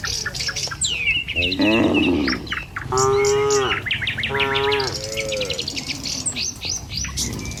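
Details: Dozens of tame village cattle walk a village road toward their pen in the morning. Two harmonic, drawn-out moos sound through dense, chattering birdsong from passing birds, with a low rural hum underneath.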